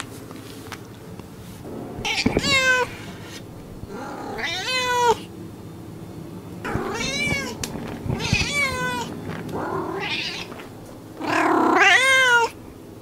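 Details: Domestic cats in California, United States, meowing repeatedly: four or five drawn-out, harmonic-rich meows, some rising then falling, spaced one to three seconds apart over a faint steady indoor hum.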